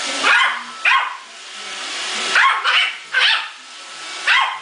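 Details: Muffin, a male Yorkshire Terrier, fighting a Roomba robot vacuum: five sharp, high yapping barks spaced unevenly over a few seconds, with a steady machine hum beneath.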